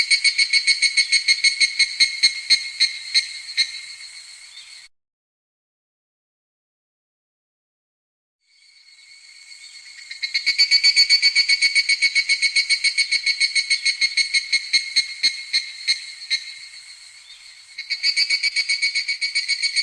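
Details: Midsummer evening cicada: fast shrill pulsing, a few seconds of complete silence, then the ringing pulse train returns loudly and carries on to the end.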